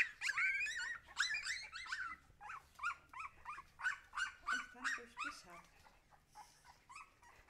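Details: Husky puppies whining continuously, a dense run of shrill, wavering yelps rising and falling, repeated almost three times a second and fading toward the end.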